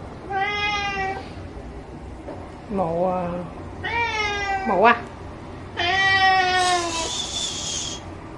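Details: Ginger cat wanting shrimp: a run of five varied meows, some long and level, some short and rising or sharply inflected, with a faint high whine near the end and indoor background.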